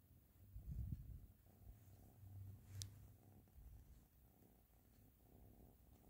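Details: Low, rhythmic purring from Ashley the cat, swelling in a few stronger breaths early on and then settling into a quieter hum, one sharp tick in the middle.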